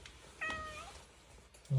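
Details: Indoor cat meowing to be let outside for a walk while being told it is cold out; one short wavering meow, then quiet room tone and a person's voice starting at the end.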